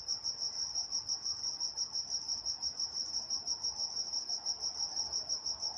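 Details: Night-time crickets in Walnut, California, producing a continuous shrill chirping rhythm, roughly three beats each second, evenly repeated over a quiet low rumble.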